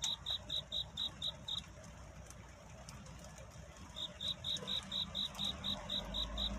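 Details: Cricket singing at night to find love, a courtship song in a night-to-dawn setting: high, clean chirps in quick even trains of about four per second, a run of seven, a pause of over two seconds, then a longer run, over a low rumbling background.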